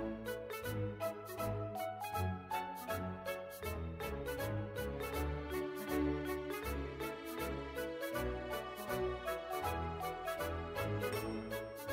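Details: Upbeat instrumental music with a steady plucked beat plays throughout, and no animal sounds.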